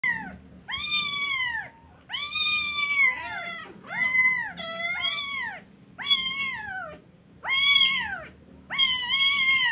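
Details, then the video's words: A kitten crying loudly, giving long drawn-out meows that rise then fall, about six cries in quick succession with short pauses, some wavering mid-call. "KITTEN CRYING LOUDLY"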